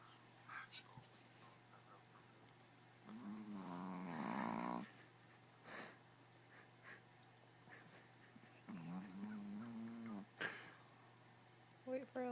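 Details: Sleeping dog snoring, two long rasping snores with pulsing rough texture, each lasting over a second, separated by quiet breathing, with a steady low electrical hum and a few soft clicks.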